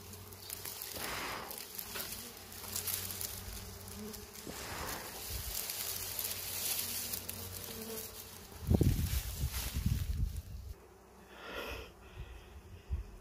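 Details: Wild bees in a forest, found while searching for natural honeybee colonies. A steady low buzzing hum runs throughout, with rustling and handling noises and louder crackling bursts near the end.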